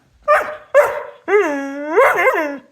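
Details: An excited dog barks twice in quick succession, then breaks into a drawn-out yowling howl that bends up and down before fading, while its owner scolds it.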